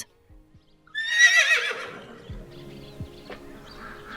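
A horse gives a single high, quavering whinny that trembles downward over about a second, with soft music playing underneath.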